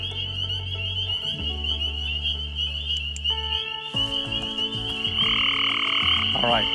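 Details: A dense chorus of spring peepers (Pseudacris crucifer) in a small wetland on Pedlar Wildlife Management Area, West Virginia: high piping peeps overlapping steadily, with low growl-like hums underneath, which are gray tree frogs.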